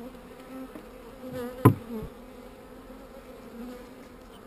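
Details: Honey bees on a brood frame during a hive inspection, described as not so angry: a steady low droning hum runs throughout, broken by one sharp click near the middle and faint handling rustles.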